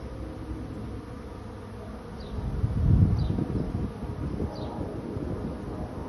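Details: A honey bee swarm on the move to a new home gives a low, grainy humming buzz that builds to a louder, rougher surge around three seconds, then settles; a few faint high descending chirps appear midway.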